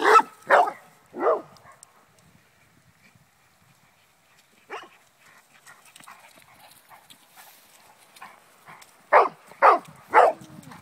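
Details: English Springer Spaniel bred in Connecticut, playing at home: three sharp barks in quick succession, a lone bark near the middle after a quiet stretch, then another rapid run of three loud barks at the end.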